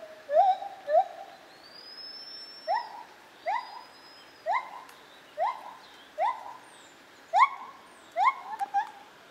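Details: White-handed gibbon recorded at Zoo Opole, 2015. A steady series of short upward-sweeping hoots, spaced under a second apart, moderately loud over a soft background hiss, with a faint thin whistle overhead.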